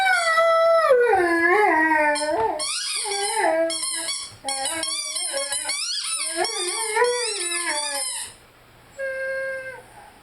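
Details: Rhodesian Ridgeback named Lyle singing and howling with his favorite squeaky toy. Sliding, mid-pitched howls fall away in arcs, mixed with rapid high squeaks from the toy. A final short steady tone follows a brief pause.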